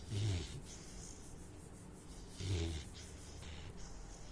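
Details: Sleeping Saint Bernard puppy snoring indoors: two low, rumbling snores with a breathy hiss on top, about two and a half seconds apart, separated by quiet breathing.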